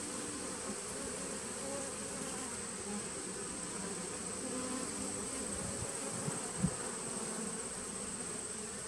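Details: Nuc colony of honey bees from 2017, captured 19 September 2018, droning in a continuous low buzz; a soft knock or thud cuts in briefly near the end over the steady hum.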